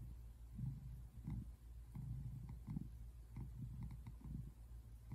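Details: Male tabby American Shorthair cat relaxing on a couch indoors, recorded February 8, 2024: a low, rumbling purr swelling and fading in pulsing bursts with each breath.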